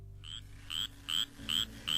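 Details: A spotted chorus frog, a small slender frog of moist grassland and prairie habitats in Texas, gives short, high, slightly rising rasping notes about twice a second, like a finger run across comb teeth.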